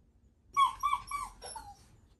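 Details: Shiba Inu Ranmaru, a pet dog at home, calls a soft 'fin' through the toilet door to a family member inside too long, out of worry: a high nasal whine of three linked notes, then a shorter falling one.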